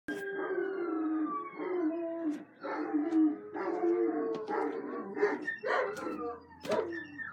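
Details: Dogs howling at passing sirens on a Tuesday afternoon, March 20, 2018, at 3:32 PM. Long, wavering, mournful howls rise and fall over a steady, slowly falling siren tone, with a few sharp clicks and some background noise.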